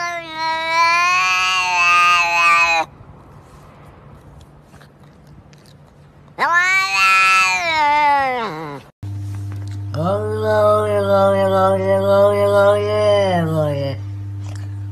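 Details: Cat giving three long, loud, sustained meows, each steady and nasal and lasting about three to five seconds, with short quiet gaps between them. The last meow carries a low hum underneath.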